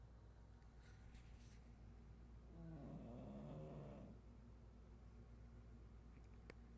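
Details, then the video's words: Snoring from Chato the pug: one drawn-out, wavering low snore lasting around a second and a half, set against soft steady hum, with a few faint clicks before and after. "chato roncando perro pug"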